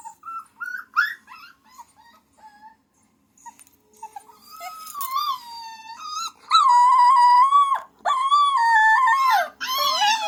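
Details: Puppy making a drawn-out whining howl, starting with scattered short yips and squeaks, then long sustained wavering whines that swell louder in the second half, bending up and down in pitch.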